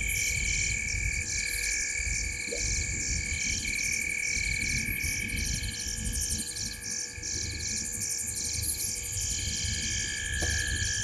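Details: Evening chorus from frogs perched in a tree at the corner of Gowrie dam on Djuma Game Reserve, Sabi Sand Wildtuin, South Africa, 19:33, 5 July 2023, via a waterhole webcam. Many overlapping callers give fast pulsed high trills, with constant high tones and low background hum.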